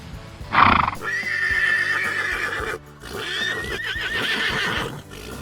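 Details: Horse whinnying over background music: a long steady high tone, then a wavering, tremulous whinny, with a brief loud burst at the start.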